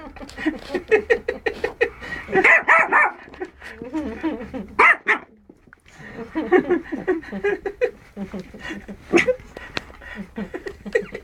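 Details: A Yorkshire Terrier yaps in quick, high-pitched bursts, barking almost without pause, on first meeting a bunny.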